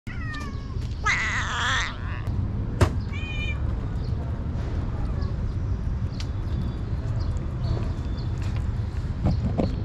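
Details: Street kitten, one of several poor street cats, calling happily as food is brought; two or three short harmonic meows near the start, one loud and wavering, over steady low rumbling background noise.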